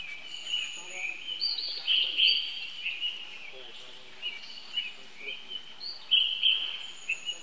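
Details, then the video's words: Long, thin, sustained whining screams from a young monkey calling its brother Rainbow for help, held at a steady high pitch with small wavers, in several drawn-out bouts over soft background noise. "Rainbow Run Very Fast While Heard Young Bro Call To Help, Lovely Baby Monkey"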